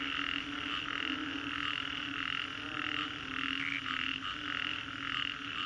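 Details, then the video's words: A dense chorus of frogs after a storm in Singapore's Green Corridor calls in pulsing, rhythmic bursts, one wave roughly every second. "Frogs after Storm, Green Corridor, Singapore - 3D Soundscape"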